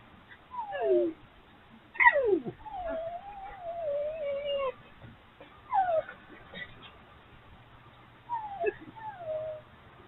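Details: Wild urban foxes, three together, frolicking at night after a dominant fox appeared: a few drawn-out, sliding whines and squeals, one long wavering cry, spaced by quiet gaps.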